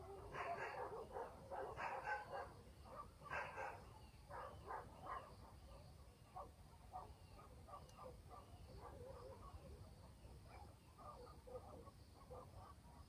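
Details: Barking dogs in a rural village after dark: a dense volley of quick, hoarse barks early on, settling into a steady patter of smaller, softer barks, with faint high insect buzzing and gentle background hiss.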